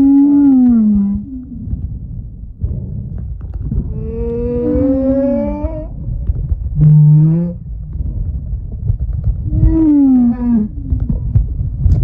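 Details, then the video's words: Snoring humpback whale off Moorea, September 2023. Low, wavering groans and short descending moans carry harmonic overtones. A gently rising mid-pitched tone and a brief flat low note appear among them, set against a continuous deep underwater rumble. "Snoring Humpback Whale"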